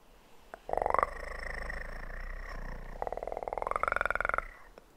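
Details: Kitten purring for ASMR, a steady pulsing rumble broken by two voiced, rising tonal swells that level off and hold, with a faint low hum beneath.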